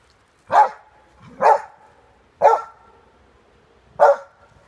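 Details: Giant Schnauzer puppies, Luna and Gia, playing in the snow with another dog, Dory; four loud, single barks spaced roughly a second apart, each a short harsh burst with no other sounds around them.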